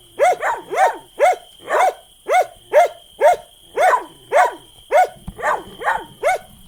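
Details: Dog barking in a steady series, about two sharp arched barks per second, each bark rising and falling in pitch, with a constant high electronic whine in the background.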